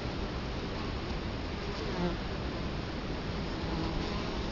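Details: Italian honey bees buzzing at the hive entrance, Colorado Springs, October 2011, recorded close in front of the hive: steady low humming mass of wingbeats, with a brief nearer drone around the middle.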